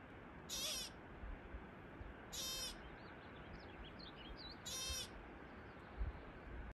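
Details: A ground squirrel, recorded uncut, gives three loud, high, harsh chirps spaced about two seconds apart, with faint softer twittering calls between them over a low, rumbling background.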